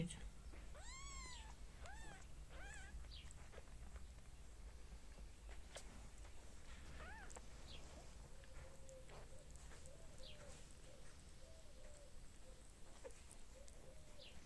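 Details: Mother cat with lots of little baby cats; several loud, harmonic arched meows in the first three seconds, then a run of small, soft repeated mews later on, over a constant low hum and occasional bird chirps.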